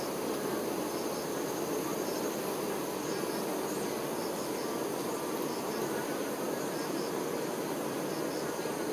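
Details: A colony of honey bee workers looking after the queen: a dense, even droning buzz, with scattered faint high chirps in the background.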